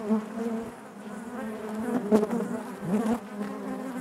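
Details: Honey bees droning in the hive, a steady low-pitched collective hum overlaid by wavering higher buzzes, with a couple of louder close passes just after the second and third seconds.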